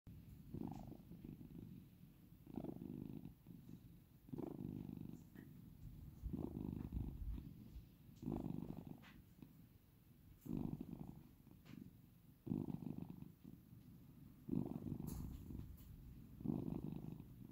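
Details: Domestic cat purring quietly at close range, a low rumbling vibration in pulses roughly every two seconds as it breathes in and out.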